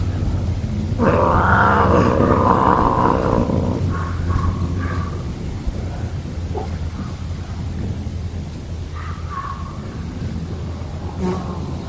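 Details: Pet cat growling, likened to a little tiger: a loud, harmonic, roar-like growl lasting about three seconds, then softer broken growling and low rumbling to the end.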